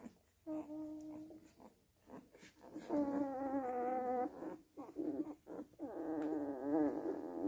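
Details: Nursing Weimaraner puppies give thin, wavering whines in three drawn-out bursts.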